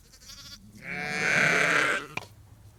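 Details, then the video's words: One long, loud, wavering bleat from a sheep farm flock of ewes and lambs calling, rising and holding for about a second before a short click, preceded by a fainter overlapping voice. "Ewes and Lambs Calling"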